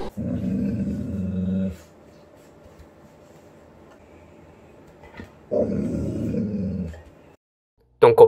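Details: Female Golden Retriever, born November 2019, growling indoors in anger after family members pretend to step on her paw by accident: two deep, rumbling growls of nearly two seconds each, separated by quiet, and a short sharp noise at the end.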